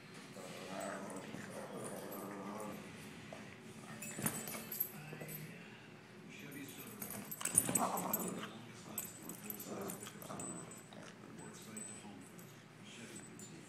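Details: Two Boston Terrier puppies playing together at home, making low growls and whiny yips in a fairly continuous stream, with louder bursts near four and eight seconds; soft household background.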